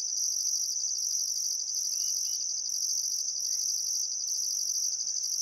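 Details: Australian crickets at sunset on a still summer afternoon by the Barcoo River, Welford National Park, Queensland outback, give an unbroken high trill overlaid by pulsed bursts; a couple of faint bird whistles drift in midway.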